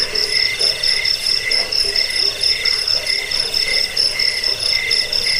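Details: Continuous cricket chirping offered as a rat repellent, sleep aid and tutor for caged birds; layered high trills pulse rapidly and unevenly, overlapping voices.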